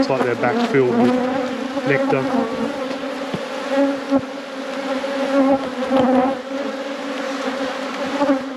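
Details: Droning buzz of many honey bees at an apiary during a beekeeping inspection. A constant, even hum fills the recording, with a few spoken words at the very start.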